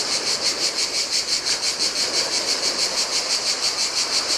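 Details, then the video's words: Cicadas singing in the heat on a desolate Greek island beach by the Adriatic Sea: a high, hissing buzz pulsing about three times per second without pause, over the soft wash of breaking surf. "Cicadas by the Sea - Ocean Waves & Cicada Sounds"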